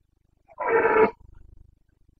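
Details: Carpathian red deer stag in the Bucovina mountains during the breeding season, 29 September 2022, giving one loud, harsh, tonal roar of about half a second, followed by a short run of low, rapid grunting pulses; otherwise quiet.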